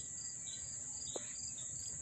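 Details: Close-up cricket chorus in Dobbs Ferry, NY, August 1, 2014: an unbroken shrill high trill overlaid with a lower, rhythmic series of short pulsed chirps, one soft knock midway.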